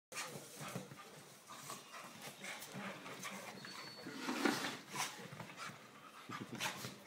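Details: An English Cocker Spaniel plays on the couch with its niece, panting and snuffling, with a brief squeaky whine partway through.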